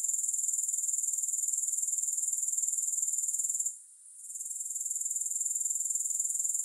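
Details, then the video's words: Soothing grasshopper sound free of music, a piercing high trill beating regularly about four times per second, with a short quiet dip midway before the chorus swells back. "3 Hours of Grass Hopper Sounds"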